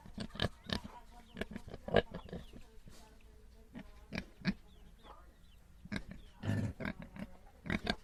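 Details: Pigs grunting on a farm: a quick burst of short grunts to start, then sparser, deeper grunts and a thicker, louder grunt near the end, with a low hum throughout.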